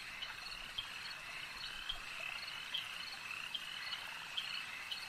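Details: Frogs calling at a lake at night-style ambience: a steady, high trilling chorus hums throughout, broken by sharp, bright clicks and chirps popping up every second or so, with a faint insect-like buzz beneath.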